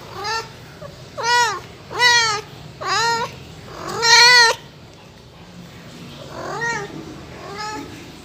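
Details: Pet cat giving a series of seven short, arched meows roughly one per second, rising then dropping in pitch, the first five loud and close, the last two softer, with a faint hum underneath.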